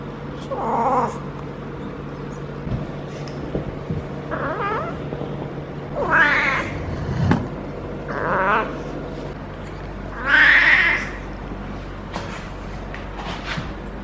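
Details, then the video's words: Feral female cat in her first heat cycle, being petted on the lower back, utters scattered moaning caterwauls, some rising into strained yowls, separated by pauses over steady low background hum and occasional clicks. "Feral Cat in HEAT makes UNBELIEVABLE Noises!"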